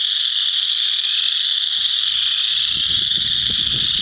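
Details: Many chorus frogs in a frog pond, with some wood frogs present, form a continuous shrill trilling wall of sound; low muffled rumbles and knocks grow in the second half.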